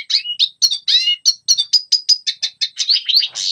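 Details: High red siskin singing for training young birds: separate bright chirps and short twisting whistles, a few sustained clear notes in the middle, ending in a harsher buzzy burst.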